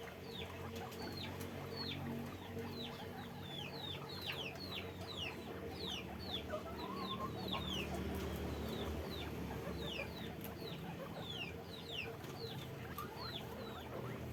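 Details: Guinea pigs at a guinea pig farm, kept in a cage, giving many short, high squeaks that slide downward, overlapping quickly and irregularly throughout, over a steady low mechanical hum.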